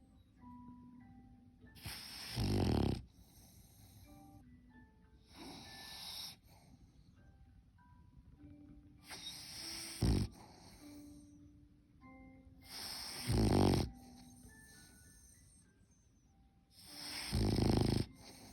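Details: A French Bulldog puppy snores in loud, rasping breaths about every four seconds, with soft chiming music behind.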